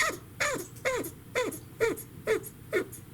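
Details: Pet female chinchilla in estrus calling: short, sharp, squeaky barks that drop steeply in pitch. Seven calls come at a steady rhythm, about two a second, against a quiet indoor background hum.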